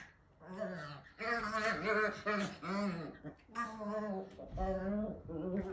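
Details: A small Chihuahua-Pomeranian mix dog gives drawn-out, wavering, revving vocal bursts that sound like a dirt bike engine.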